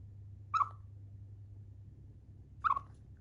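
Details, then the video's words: Pet Siberian chipmunk named Chiro, yawning and eating indoors, gives two short sharp chirps about two seconds apart, each a bright clipped note with a quick downward flick, over a low steady indoor hum. "あくびしながら鳴くシマリス・チロ Chipmunk yawning and chirping 鳴き声"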